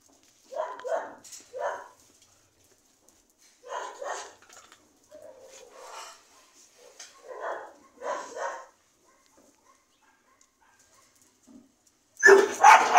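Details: Dogs making a series of short, uneven yips and barks in small clusters with pauses between them. A sudden loud harsh bark closes the sequence.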